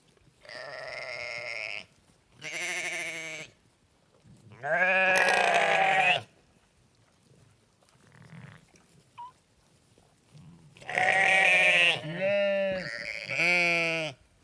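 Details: Sheep baaing in a series of bleats: two medium calls, a long loud wavering one, a quiet pause with a faint squeak, then a final burst of three quick, rising baas.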